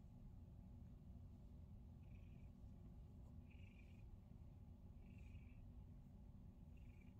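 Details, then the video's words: Male pet cat purring through his favourite daily morning massage, a dense, continuous low rumble with no breaks, while short, faint high beeps recur about every second and a half in the background. "Cat Purrs During Massage!"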